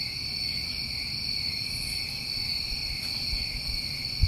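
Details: New England summertime crickets in a steady chorus: continuous high, even trilling layered in several bands, with no pauses, over a low rumbling background and a brief thump at the end.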